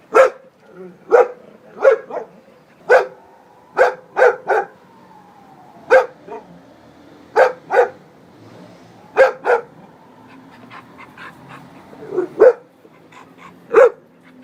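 A Bull Terrier gives short, sharp barks in uneven bursts, some doubled, with brief pauses between.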